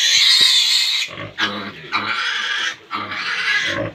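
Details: Pigs at feeding on a pig farm: loud, shrill, sustained squealing in long bursts, broken by short gaps where deeper harmonic grunts show through.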